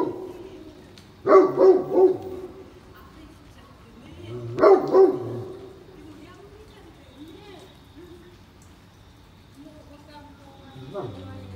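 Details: Great Pyrenees on a morning walk in the rain at Oyama Yuen Harvest Walk. Two bursts of deep, doubled barks sound about three seconds apart, then softer whining noises follow. Human speech is also heard.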